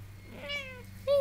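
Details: Domestic cat meowing indoors: a faint meow followed by a louder, clear, slightly falling meow at the end, with a person speaking softly and a steady low hum in the background.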